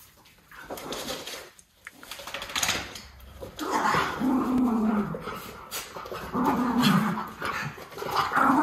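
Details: Two white Miniature Schnauzer brothers, puppies indoors, sniffing each other after haircuts, nail trimming and ear cleaning; low whining and grumbling murmurs come in a few drawn-out bursts, rising and falling, with rustling between.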